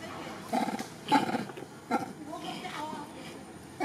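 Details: Pregnant female monkey calling loudly for help while a big male stares at her: a run of short, harsh, pulsing cries in bursts, followed by a brief rising squeal.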